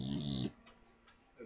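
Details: A female Staffordshire Bull Terrier gives a loud, rasping snore, followed by quiet breathing, over TV speech in the background.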